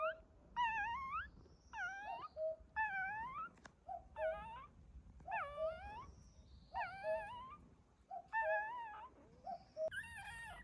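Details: Dog whimpering during a birth, as a mother dog welcomes her puppies in a quiet hidden spot; high squeaky whines, each bending upward then down, come in short bursts about every second against a low steady rumble.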